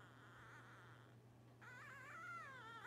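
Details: Twelve-day-old Blenheim Cavalier King Charles Spaniel puppies, part of a litter of five born at New Year's 2023; quiet, wavering high-pitched whimpering squeals that rise and dip, over a steady low electrical hum.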